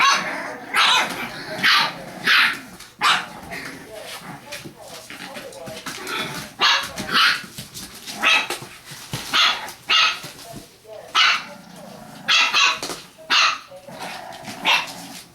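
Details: Six-week-old English Bulldog puppies, hand-raised indoors, giving short, sharp, high yips in scattered bursts, some clustered in quick pairs, while people talk in the background.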